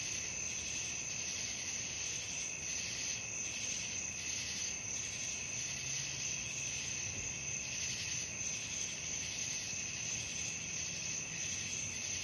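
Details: Crickets calling after dark: steady piercing high trills in a thick chorus, gently throbbing, with a faint low drone in the middle.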